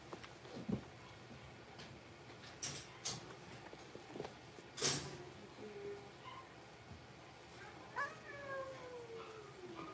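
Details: Six-week-old blenheim Cavalier King Charles Spaniel puppies, a litter of five born on New Year's, in an indoor puppy pen; thin, high whines and squeals with falling tones near the end, over scattered knocks and clicks.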